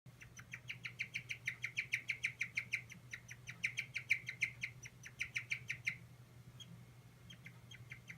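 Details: Stressed pet guinea pig squeaking a rapid series of short, bright, harmonic notes, about three per second for six seconds, then only scattered faint squeaks over a low steady hum.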